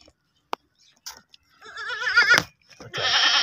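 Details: Baby goat kept as a pet bleating: a quavering, wavering cry rising in intensity over about a second, followed by a harsher, noisier bleat at the end; faint clicks before.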